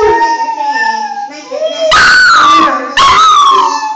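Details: A pet Briard dog goes wild at one particular phone ringtone, ignoring all others: a steady electronic ringtone plays first, then two loud, wavering howls break in, each sliding slowly downward in pitch.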